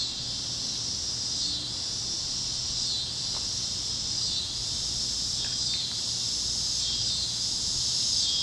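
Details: Cicadas chirping at sunset over fields in Kansas on a warm evening, a dense high-pitched continuous shrill with slow swells, other critters faintly adding brief calls underneath.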